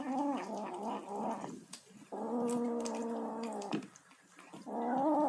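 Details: Eating kitten making three long, sustained, throaty mews with a rough, growling edge, the middle one lasting over a second and a half, separated by short, quieter pauses.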